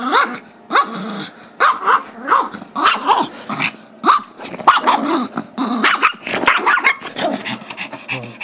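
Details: Squeaky-toy tug battle on February 10, 2011: Gizmo, a 5-year-old Chihuahua/Yorkie mix, fires off a steady run of sharp, rising barks mixed with growls, roughly two per second, demanding the toy his younger Yorkie brother Tigger holds.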